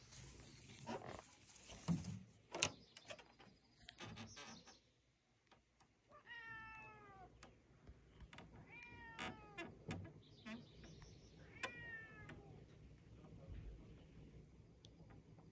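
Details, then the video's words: A chatty rescue cat named Willy Winston on a visit to the docks meows three times, each call a clear, bending, slightly falling cry about three seconds apart. Sharp knocks and clatter come before, and a low steady hum sits underneath. "Chatty Cat visits the docks"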